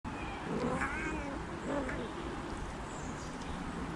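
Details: Kittens playing with their mothers, meowing for attention; two soft, wavering meows partly buried under steady broadband background noise.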